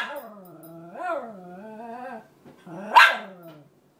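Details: Female Cairn Terrier crying over her bed, wanting it back: drawn-out nasal whines with wavering pitch, a rising moan, then a sharp yelping burst near the end.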